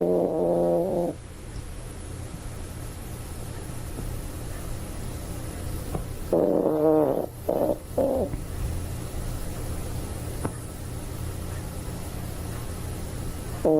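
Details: A toy poodle sleeping soundly, snoring: a wheezy, wavering, tonal snore about one second long, then a pause of several seconds before two more drawn-out snorts, over a steady low indoor hum.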